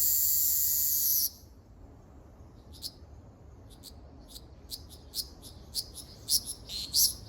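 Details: Ryukyu large brown cicada on Okinawa Island, Japan, 17 June 2026: a loud, high sizzling buzz breaks off after about a second, followed by sparse sharp ticks that gradually quicken and grow louder.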